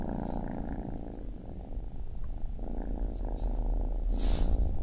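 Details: A baby kitten purrs in a continuous low, throbbing drone, softer in the middle, with a short breathy rustle near the end.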